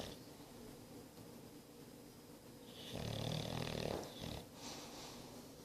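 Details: English Bulldog, nine months old, snoring in a small room: one loud, rough, rattling inhalation lasting about a second and a half, then a short snort and quieter wheezy breathing.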